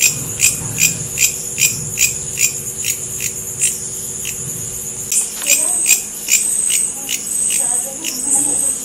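A bush cricket gives dry, high-pitched buzzy chirps, repeated quickly and steadily over a thin continuous hiss.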